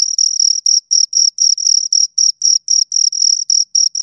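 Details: Two crickets chirping, a high, clean trill broken into rapid pulses of uneven length, about four bursts a second with short silent gaps and a faint higher overtone, with no other sounds.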